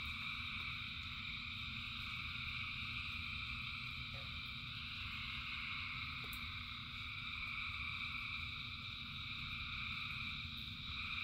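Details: In the rain, thousands of frogs keep up a ceaseless, even chorus of high buzzing trills in several bands, backed by constant low patter of rain.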